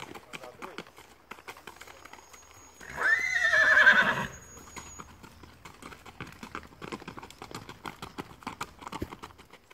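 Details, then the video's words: Mangalarga Marchador horse neighing once, a short quavering whinny lasting about a second, followed by a person talking and steady hoof clip-clop in the background. "Repasse - Mangalarga marchador"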